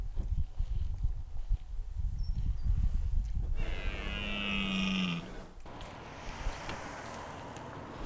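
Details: Red deer during the rut in De Hoge Veluwe park, where animals are fed apples by the ranger, 2023; a short, tonal, harmonic bellow of about two seconds that rises slightly, after low rumbling background noise.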